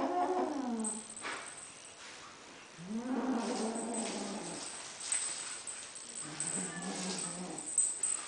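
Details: Lilac Ocicat kitten, a young female, guarding a toy: three wavering, whiny growls, each lasting roughly one to one and a half seconds, with a dip then rise in pitch and soft background rustle between them.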